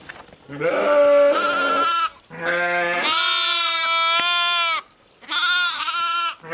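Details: Ewes and lambs: three long bleats, the first rising and shaky, the second a sustained steady two-second cry, the third shorter and tremulous, all close and loud.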